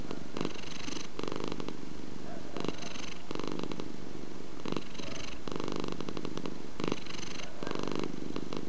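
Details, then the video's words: Domestic cat purring, a loud low rumble in clear alternating phases, each burst lasting about half a second with brief lulls between, repeating evenly through the recording. "Purring Purr Cat"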